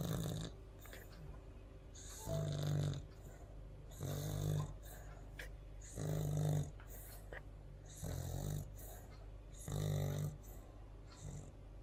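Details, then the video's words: Pet dog snoring indoors: deep, rasping snores about every two seconds, each a rough rumbling inhale lasting under a second, separated by quiet breathing. "MY DOG SNORING"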